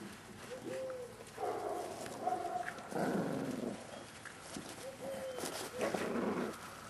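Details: Staffordshire Bull Terrier puppies, 38 days old, from litter K of the Staff Komas kennel, recorded 20.09.2010: high, tonal whining squeals that arch up and down, several overlapping, with broad noisy rustling bursts between them.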